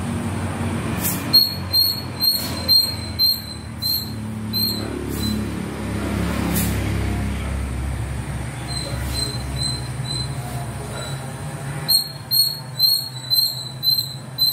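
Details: Little squirrel climbing and playing in the trees; a run of sharp, high chips about two per second for a few seconds, a pause, then another burst near the end over a low background rumble.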